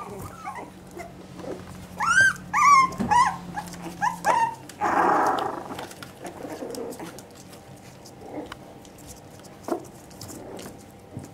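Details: Litter of Parson Jack Russell Terrier puppies aged three and a half weeks, indoors: a quick run of about six thin, high-pitched yelps and squeaks in the first seconds, then a burst of rustling noise and quiet shuffling.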